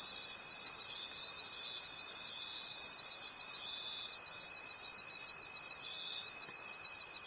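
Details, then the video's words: Night-time forest crickets form a continuous high, rhythmic trilling chorus with a soft regular swell, over a constant faint pure tone running throughout. "Forest Sounds and Cricket Conversations at Night"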